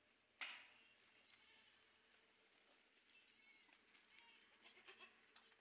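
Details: Sojat bucks, one of 130 kept for Eid at a goat farm in Indave, Sakri taluka, Dhule district, give faint, drawn-out bleats against a low hiss, following a sharp click at the start.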